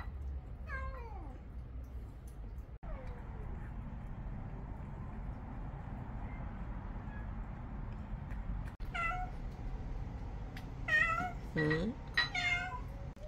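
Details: Pet cats, young and old, in a multi-cat household, with a cat named Cheon refusing food again. A short, falling harmonic meow opens, and after a long quiet stretch a cluster of wavering meows follows near the end, under a woman's voice.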